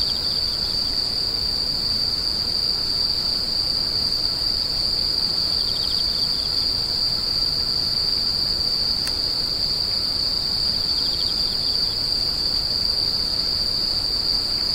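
A steady, high-pitched insect chorus rings without pause, like a continuous cricket trill.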